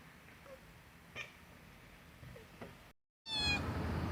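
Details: Domestic cat giving one loud, bright meow with stacked harmonics near the end, after quiet room tone with a few soft taps and a sudden cut.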